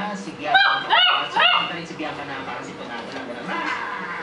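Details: Four-week-old Shih Tzu puppies giving three quick, high, whiny yips in the first second and a half, followed by softer squeaks, with people talking in the background.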